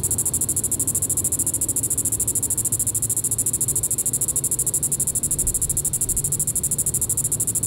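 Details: Diceroprocta vitripennis cicada calling in the evening, July 20, 2014, Sand Hills State Park, Reno County, Kansas: a steady, high, rapidly pulsed buzz that holds without a break through the whole clip.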